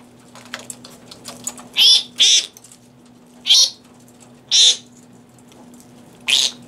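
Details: Captive fruit bats given romaine lettuce at the Organization for Bat Conservation, Bloomfield Hills, Michigan; soft clicking and chewing, then five sharp, hoarse squawks at irregular intervals over a faint steady hum.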